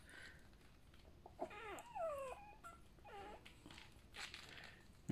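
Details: Newborn Golden Retriever puppies from a first litter of seven, three females and four males, just after birth indoors, giving thin high squeaky whines that rise and fall, several in a row, with faint voices nearby.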